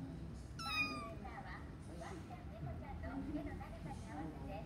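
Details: An American Shorthair cat in a pet shop gives one short, clear, slightly falling meow early on, followed by quiet human voices and indoor murmur.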